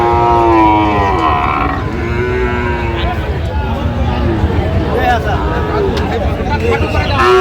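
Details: Sahiwal bull calf at a Chattogram cattle market on 29 January: a strong, slightly falling moo lasting nearly two seconds opens the clip, then men talk and bargain amid constant market noise.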